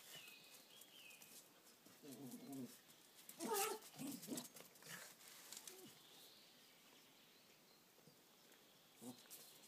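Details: Fighting dogs Sára and Ceasar: a short throaty growl, then a loud harsh snarling burst with scuffling, followed by quieter rough sounds and one last brief growl near the end; faint birdsong behind.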